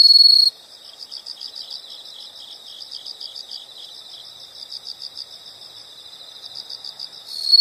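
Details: Steady high insect chirping, rapid even pulses at one pitch across the whole stretch, with a brief louder trill at the very start and again at the end.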